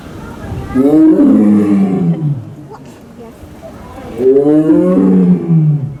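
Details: Male Amur tiger at Asahiyama Zoo, born in the USA in 2009, roaring forcefully: two deep, harmonically rich drawn-out roars of over a second each, separated by a quiet pause of about two seconds.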